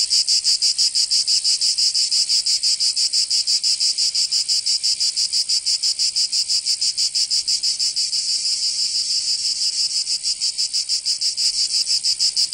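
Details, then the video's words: Cicadas in a Provence summer, southern France, producing an unbroken high-pitched rasping drone with fast, even pulses throughout, loud and constant from start to finish. "Canto Cigarra 🦗 [ Escuchar les cigarras en verano 10 H]"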